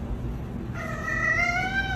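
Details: Pet cat meowing once after a stretch of low background hum, a short wavering cry that holds level and ends slightly lower.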